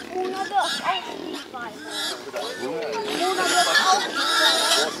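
Wild boar give overlapping squeals and short grunts, the pitch sliding up and down in quick bursts.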